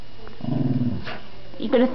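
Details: Dog playing with a new toy, giving a low rumbling growl for about half a second, followed by a woman speaking.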